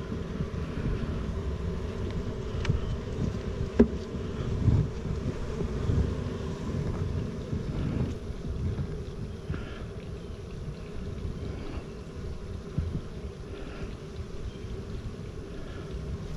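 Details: Bees at a newly set-up hive, recorded on 28 September 2018: a steady, low droning hum runs throughout, partly masked by heavy low wind rumble and microphone buffeting, with a brief sharp click near the four-second mark.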